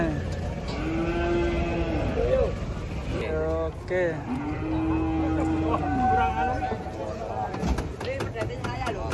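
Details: Huge cattle rampaging as they come down off a truck, giving two long, steady, drawn-out moos a few seconds apart, with people shouting and talking around them.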